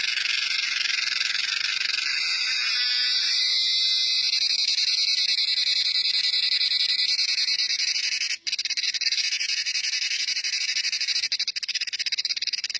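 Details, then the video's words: Cicada, among different types with loud sounds: a continuous, intense, high-pitched buzzing chorus with rapid pulsing, holding steady throughout with a single brief dip. "CICADA SOUNDS | Cicadas"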